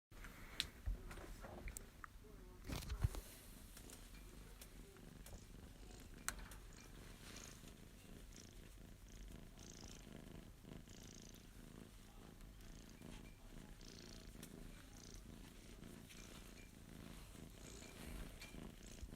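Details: Male Abyssinian kitten, born September 2021, purring while being stroked indoors; a steady low rumbling purr runs throughout, with a few sharp handling clicks and rustles near the start.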